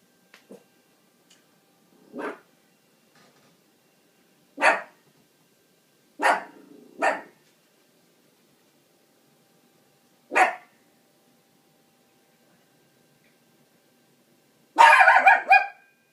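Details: Dog barking at a dishwasher indoors: a series of sharp single barks, some in quick pairs, spaced irregularly over sixteen seconds, ending in a louder, harsher cluster of barks.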